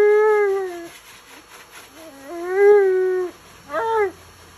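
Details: Alaskan Malamute protesting during his bath, producing wavering talk-like moans that dip, rise and fall in pitch, three vocal phrases with bright harmonics over a constant machine-like hum.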